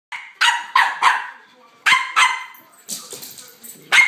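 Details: An upset male Boston Terrier gives sharp, raspy barks in quick bursts, with softer whines between, while a mini dachshund is nearby.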